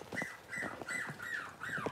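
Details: Six-week-old Cavalier King Charles Spaniel puppy whimpering while being dewormed and getting toenails trimmed. Five thin, high whines, each sliding downward, come quickly one after another in two seconds.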